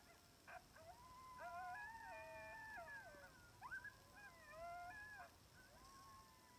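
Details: Sixteen timber wolves (gray wolves) on a ridge about 700 yards away in Wrangell–St Elias National Park, Alaska, September 2018, howl together in long, wavering, overlapping voices, drawn by an electronic coyote call; eight more later joined.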